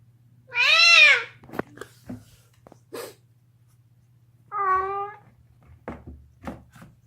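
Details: Deaf pet cat chewing a bone inside a small room, letting out a loud arching scream that rises and falls, then crunching clicks of gnawing, and a second shorter, steadier wail followed by more chewing noises.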